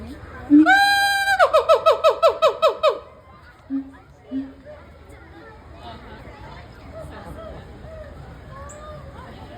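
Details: A zoo gibbon at Cincinnati Zoo, hanging high up, calls in a quick run of loud, pure, rising whoops repeated in a bouncing series, then trails into a couple of softer low hoots, with faint crowd chatter behind.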